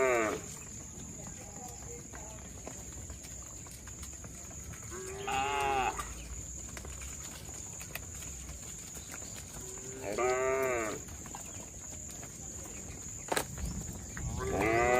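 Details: Herd of tame cattle roaming on a road while being herded: two or three short, bleating-like moos spaced about five seconds apart over a background of broadband hiss and a faint high tone.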